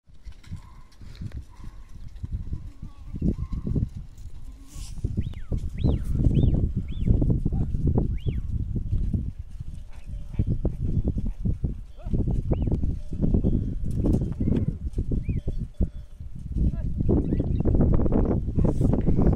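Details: A herd of goats in a village, bleating repeatedly in short, overlapping calls over a steady low rumble and shuffling noise.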